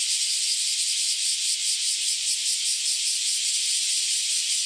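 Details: Mass chorus of cicadas that have just emerged after around ten years underground; shrill, even, high-pitched buzzing with faint rapid pulsation, very loud and constant.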